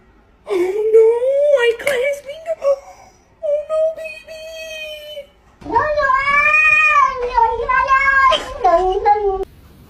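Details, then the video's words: Domestic cat talking back to its owner indoors: a wavering, drawn-out meow, a few shorter level mews, then a long, loud yowl that rises and falls in pitch for about four seconds. "Your cat actually talks back"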